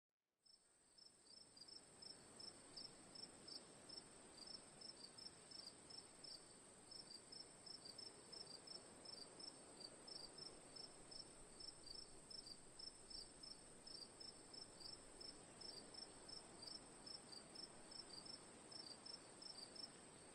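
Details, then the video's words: Cricket chirping for sleep and relaxation ambience: short bright pulses repeated about three times a second over a steady high continuous trill from other insects, with soft broadband background hiss. "Cricket Sounds for Sleep/Relaxation, Ambience, & Sound Effects"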